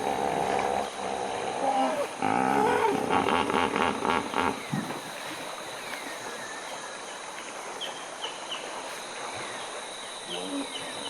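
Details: Hippos in Uganda at sunset, their calls growing louder as night approaches. A burst of rhythmic, throaty honks and wheezing grunts for a few seconds, then quieter ambience with scattered bird chirps and a constant insect drone.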